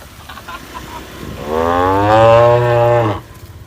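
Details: Tame cow on green pasture giving a long, steady, fairly deep moo of about one and a half seconds after soft faint sounds, against a low background rumble.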